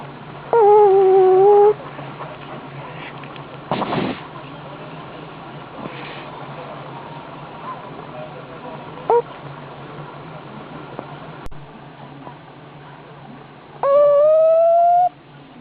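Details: High whistling snores from a sleeping pug: a steady thin tone lasting about a second near the start, a brief squeak midway, and a longer rising whistle near the end, with soft rustles between.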